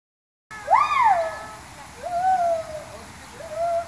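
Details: Gibbons at Cameron Park Zoo giving a loud rising-and-falling whooping note, followed by two softer sliding hoots about a second apart, steady background hiss.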